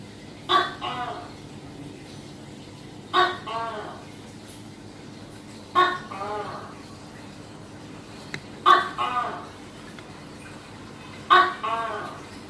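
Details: Tokay gecko calling five times at intervals of about 2.6 seconds, each call a crisp clicking start and a longer, arched, nasal harmonic note. A quiet steady hum runs beneath.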